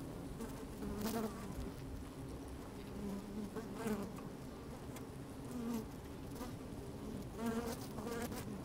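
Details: Inside an opened beehive on a sunny day, worker honey bees keep up a continuous low droning hum, broken every second or two by short rising buzzes as individual bees pass close to the lowered microphone.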